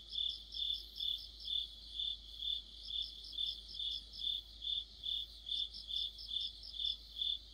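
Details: Crickets and other insects singing together in mid-autumn, regular pulsed chirping at a steady beat of roughly two per second, a second layer of quicker trills above, faint low hum beneath.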